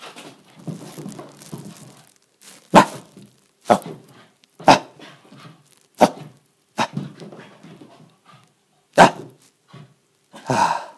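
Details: Shiba Inu puppy, male, in a frenzied play mode burning off excess energy indoors in an apartment; sharp single barks roughly every second, mixed with panting, scuffling and thumps of play in a small room.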